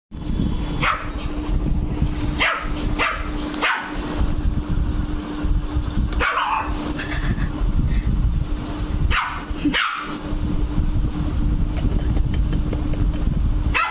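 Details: Angry Lhasa Apso puppy named Luci barking: short, high, sharp yaps in small bursts, several in the first four seconds, more around six and near ten seconds, over constant low background hum.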